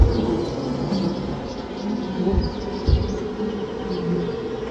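Maltese honey bees make a steady, low droning buzz, like many wings humming together.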